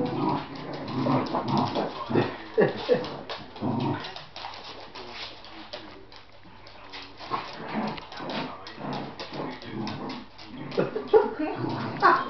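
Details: A 10-week-old Lhasa Apso puppy being dragged around by a Patterdale cross gives rough, throaty growls mixed with short whines and yelps in uneven bursts.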